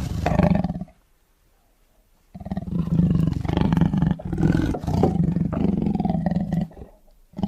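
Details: Tiger roaring in anger: deep, harmonic growling roars in two long bursts separated by a silent pause of about a second and a half, rough and pulsing throughout, with no other sounds.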